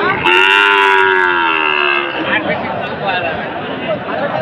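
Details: Sahiwal breed bull calf at a livestock market at Raniganj, Dinajpur, Bangladesh, on 1 May: one long moo of about two seconds, held steady then sagging slightly in pitch, followed by the busy murmur of the market crowd.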